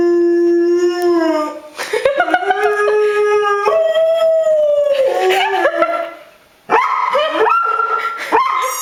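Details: Howling dog, called a wolf by its owner: opens on a steady low howl that rises into wavering, overlapping tones with yelping breaks, falls quiet for a moment, then resumes in higher, bending howls.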